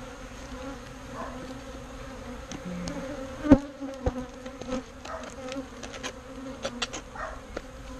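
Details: Bees being moved out of a birdhouse into a proper bee box during a rescue: a steady, low droning hum with an overtone, broken by scattered sharp clicks and knocks from handling.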